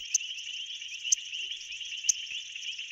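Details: A male painted reed frog calls to attract a female in a South African pool, giving sharp, high chirps about once a second over a steady, shrill chorus.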